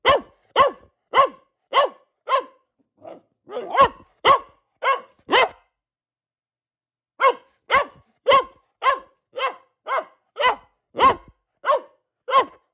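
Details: Female pet Boxer Luna barking in long regular volleys of short, punchy barks, about two per second, with a softer muffled bark mid-run and a two-second silence before the barking picks up again.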